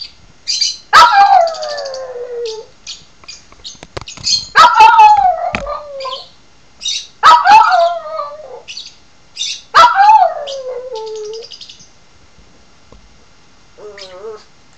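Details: Small scruffy dog howling in reaction to a bird tweeting: four long falling howls, each a downward-sliding whine lasting over a second, spaced about three seconds apart, with high chirpy bird notes between them and a faint wavering cry near the end.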